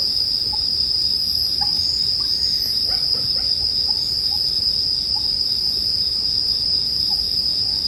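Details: Continuous high-pitched ringing of bell crickets with a bonfire burning, joined by several brief, faint chirps and short sweeping notes from another animal over the low crackle of the fire.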